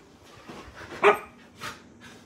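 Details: Samoyed puppy Daisy playing hyperly at bedtime inside; a single short, bright bark stands out between faint rustles and a softer huff afterwards.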